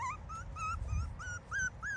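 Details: A young domestic dog puppy from a kennel litter cries while out in the grass for the first time, central Ohio, October 16, 2022: high, thin whistled whines, each rising then falling, repeated about six times in two seconds over a low rumble.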